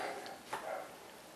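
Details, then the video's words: Dog giving a single short, sharp bark about halfway through, with a softer, muffled bark-like sound just after, heard against faint steady background hiss in a quiet setting. "Barking Dogs"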